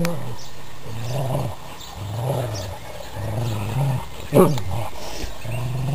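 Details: Pet dogs in a tug-of-war game over a sock; low rough growls repeated in bursts roughly every second, with a brief thump and scuffling of the struggle.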